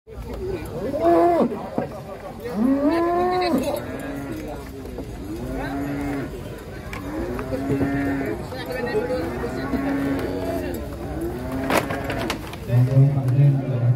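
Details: Large cattle being unloaded from a tilting truck for a contest, mooing repeatedly: about eight drawn-out, arched moos at roughly one-and-a-half-second intervals, ending in lower grunting calls, with faint human voices in the background.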